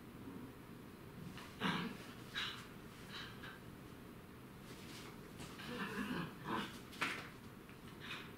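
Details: A dachshund gives short, breathy snorts and huffs in a quiet room while waiting patiently for its canine playmate to wake up.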